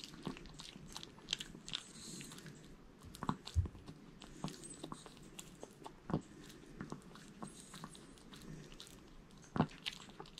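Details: Jamong, a male Maltese born in 2015, eats a whole sweet potato indoors: soft wet chewing with sharp crunchy bites scattered irregularly, a few louder snaps near the middle and end.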